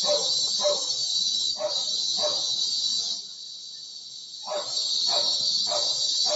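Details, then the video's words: Cicadas (kuliglig) give a steady, shrill, high-pitched buzz that dips briefly before swelling again, heard from a bedroom window while dogs bark. "SCARY SOUND OF CICADAS OR KULIGLIG"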